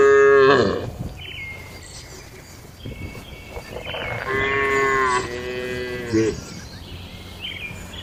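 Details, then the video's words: Tame cattle inside a farm shed on an ordinary day: one strong moo opens, then quieter, drawn-out lowing follows near the middle, with faint higher calls and background barn noise. "Moo Suara Sapi Jinak"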